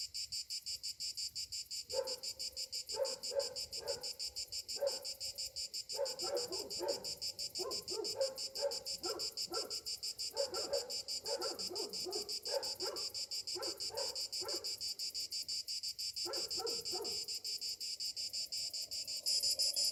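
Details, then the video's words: Summer cicadas in the morning fill the air with a steady, high, shimmering buzz, with lower voices breaking in at intervals. "Morning summer cicadas sounds"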